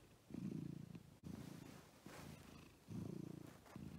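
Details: Domestic cat purring, from a home with a female American Shorthair and a male fold-eared Scottish Fold, one sticking its tongue out; a low, steady rumbling purr comes in long bursts with short breaks between breaths.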